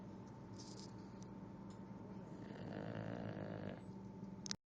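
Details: A tired English Bulldog, worn out from exploring and eating ice, snores with low, rattling rumbles in quick, uneven succession.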